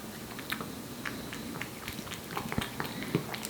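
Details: Aepi, a one-year-old Korean Shorthair cat born in July 2018, eating wet food with gusto; quick moist smacking and clicking chews, several per second, close and slightly uneven, over a low steady background hum.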